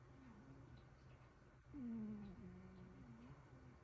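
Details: Soft snoring from two cats indoors: faint wavering whistled notes, then a clearer short tone dropping slightly and a few gentle, uneven hums continuing under a low room hiss.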